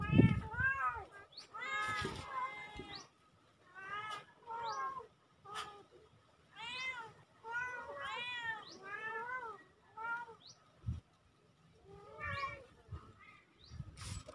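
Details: Two kittens on October 17, 2024 calling in a steady run of short, arched, harmonic mews, often in quick pairs and triplets, with brief pauses and some low bumps and clicks.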